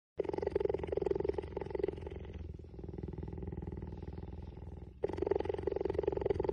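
A cheetah gives a continuous rumbling purr, pulsing rapidly on both the in and out breath. The purr grows quieter and thinner for a few seconds before swelling back to full, throaty strength.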